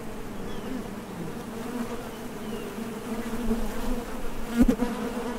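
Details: At the entrance of a Top Bar Hive, honey bees depart and land while foraging for nectar; a constant low drone with a faint rumble beneath and a sharp brief burst near the end.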